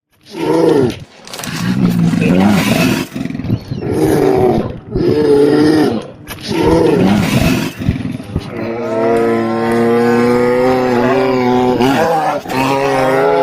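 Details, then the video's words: Grizzly bear roaring: a series of deep, rough, throaty bursts of about one second each over the first eight seconds, then a long sustained harmonic moaning growl that wavers in pitch until the end. "Grizzly sounds and photos. Grizzly bear"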